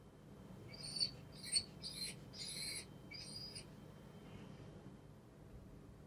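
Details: F1 retriever, anxious in a newly moved-into home as its father figure goes out for the first time, giving about six high, nasal whimpers in quick succession over three seconds before falling quiet; a person then calls it over.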